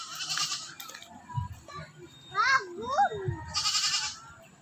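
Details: Goat being fed, at first refusing leaves and wanting only grass; two short rising-and-falling bleats in quick succession amid a child's speech and bursts of hissy noise.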